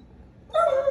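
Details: An Alaskan Malamute gives a sudden, tonal, whining vocalization, asking to go outside to lie in the driveway because it is too hot indoors.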